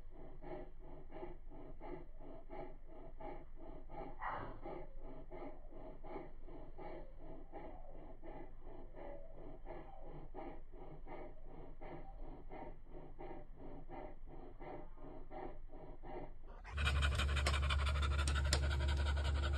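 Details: Rose, a female Labrador Retriever 43 days pregnant, pants rapidly and steadily indoors, about four breaths per second for some sixteen seconds, each breath a soft rasping puff, before loud music abruptly cuts in at the end.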